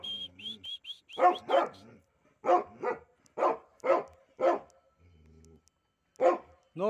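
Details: Pit bull pet, one of a pair, barking repeatedly in quick single barks about half a second apart, preceded by a short series of high whistled tones and with a low hum and brief voice in gaps.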